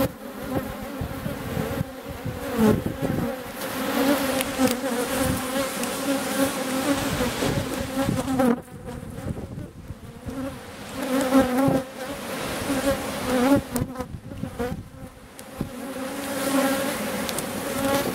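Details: Swarming drone of honey bees at a hive in Kabylie in April, during a visit to the colony. The thick buzzing hum holds steady with a noticeable dip around the middle, then swells back to full strength.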